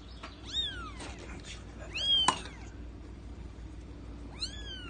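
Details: Three-week-old female seal point Persian kitten from a May 2018 litter gives three high, arching meows, each rising then falling with rich harmonics, spaced about two seconds apart over a low steady background hum.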